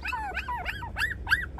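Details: High-pitched yelping whimpers from 24-day-old puppies, a quick series of about six arched cries, each sliding up and dropping back down, over a faint low hum.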